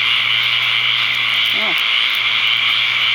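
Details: Evening chorus of countless tree frogs at a pond in Ocala, Florida, after the season's first torrential rain, May 6, 2010, gathered to mate; unbroken shrill buzzing drone with a short human voice midway.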